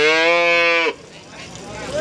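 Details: Short, bright, nasal moo under a second long from a cow at a Nganjuk cattle market in East Java selling breeding cows and cows with calves, cut off sharply into quiet market chatter.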